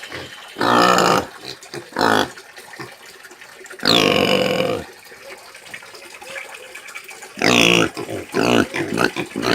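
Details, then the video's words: Domestic pig heard in short loud bursts of harsh squealing, several separate cries spaced a second or more apart with quieter shuffling and grunting noises between them. "SOM DE PORCO GRITANDO"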